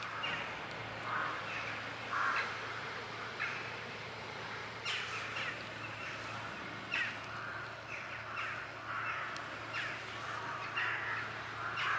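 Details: Small blue-eyed kitten from a basement calling repeatedly with faint, short mews, coming more often in the second half, against a steady background hum and light handling noise.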